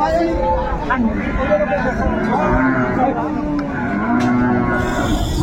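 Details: Improved-breed dairy cow kept with her calf at Ambari market, Dinajpur, on 22/4/24: wavering, low, drawn-out mooing heard through constant market chatter and bargaining voices.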